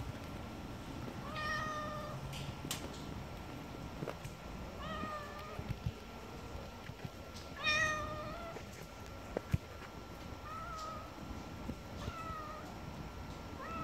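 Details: Stray calico cat on a rainy spring day giving five clear, drawn-out meows spaced about two to three seconds apart, each level then slightly falling, over a steady hiss of rain.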